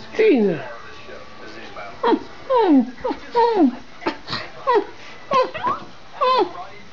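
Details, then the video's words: Two pet Schipperkes, Bella and Gina, barking as they run through the house; a quick series of high, sharply falling yelping barks, about ten in seven seconds, with a person calling to them in between. "Schipperkes Barking"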